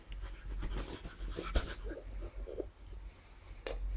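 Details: Zara, an English Bulldog mix busy with a labyrinth treat ball, breathes in rapid soft pants and snuffles, with a sharp knock of the toy near the end over a low room rumble.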